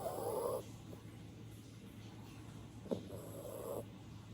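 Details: An old chocolate poodle snores in its sleep with eyes open, giving rough, rattling breaths, two louder snores about three seconds apart.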